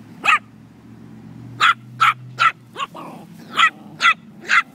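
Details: Moxy and Hopper, a Chihuahua and a puppy, at play: a burst of nine bright, sharp yaps in an uneven series, mostly in tight clusters with short gaps, plus a softer rough bark midway and a faint steady low hum behind.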